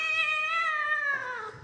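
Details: Kitten indoors giving a long, clear harmonic meow, steady in pitch for about a second, then sliding downward and fading; no other sounds.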